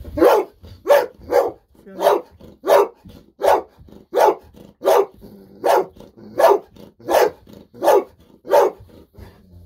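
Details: Golden Retriever named Bis barking excitedly indoors while waiting for a fish-sausage treat, sharp broadband barks repeated steadily about every 0.6 seconds, fourteen in a row, with faint household sounds between.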